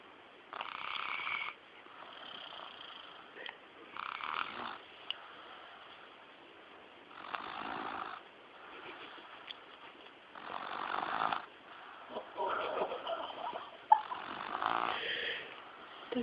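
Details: A pet dog snoring: rough, rasping breaths, each lasting about a second, repeat every two to three seconds with quieter gaps between, over a faint steady background hiss.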